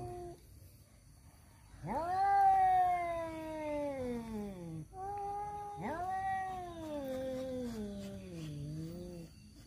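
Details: Male domestic cats yowl in long, wavering wails while fighting over a female.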